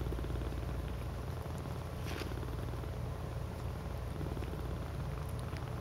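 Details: Purring from domestic cats huddled together in a "cuddle puddle": a close, dense, low vibrating rumble pulsing rapidly and evenly, with a brief rustle near the middle.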